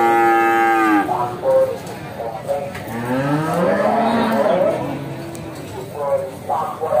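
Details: Simmental cattle at the Bekonang livestock market in Sukoharjo, Central Java, lowing with a long harmonic moo at the start, then deep wavering moos that rise and fall, over background music and market chatter.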